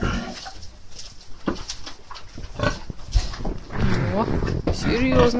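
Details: Sow with piglets, playing and rooting up the soil with their snouts: short low grunts and snuffles, then rising, wavering squeals, with a person talking over them.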